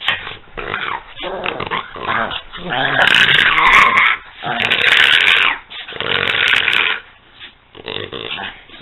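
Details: Peanut and Daisy wrestle playfully, producing loud, sustained snarling growls that build into intense noisy stretches, then drop to quieter grumbles with brief whimpers between.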